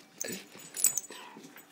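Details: Sam, a Rhodesian Ridgeback dog, playing at work with an arm: short whimpering yips and breathy whines in quick bursts, with soft rustling between.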